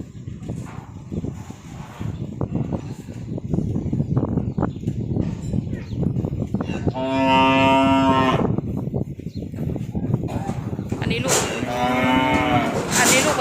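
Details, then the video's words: Calves delivered in Nong Bua Lamphu province, Thailand: busy rustling and trampling noise throughout, then two loud drawn-out harmonic moos, each lasting about a second, near the end. "ส่งมอบลูกวัวจังหวัดหนองบัวลำภู 17 ตัว"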